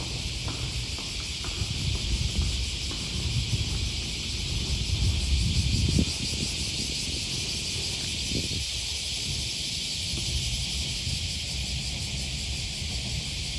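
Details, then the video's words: Morning cicada chorus by the Okawa River in Osaka, Japan, on the first Thursday of August 2020. A continuous high shimmering drone fills the background, with low traffic rumble and a louder patch of nearby noise around six seconds. "Walking along the river, with the voice of a cicada"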